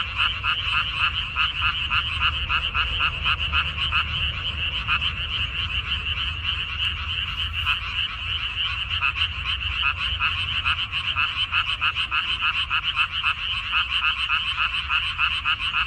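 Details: Frog chorus from a water dropwort field, 14 May 2021, a continuous wall of fast rasping croaks from many animals, its rhythm irregular as calls overlap.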